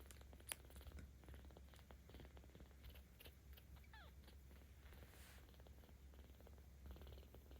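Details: Kitten 17 days old in volunteer care in Tama City, Tokyo, recorded 10 October 2022, purring as it is petted; even low rumble throughout, a sharp click early on and light rustling.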